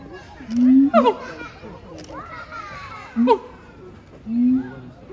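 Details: At Chiba Zoological Park on 12 November 2022, the siamang pair Heart and Brave give sustained low hooting booms broken by sharp upswept barks, three loud bursts in five seconds, with visitors' voices faintly behind.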